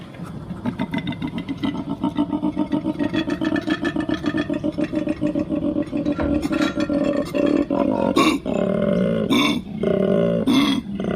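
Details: Koala bellowing: a fast run of low, rasping, snore-like pulses that merges into a deeper droning tone, broken near the end by loud breathy inhalations.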